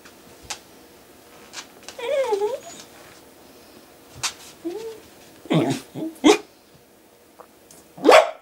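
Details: Longhaired dachshund begging his owner for food, giving short wavering whiny yelps and a few sharp barks, while a man answers him in Danish.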